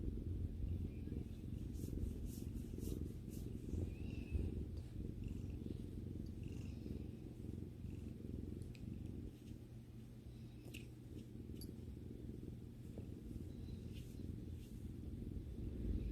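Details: A domestic cat purring while relaxing with its owner: a steady low rumbling purr throughout, with faint soft clicks and light high rustles over the top.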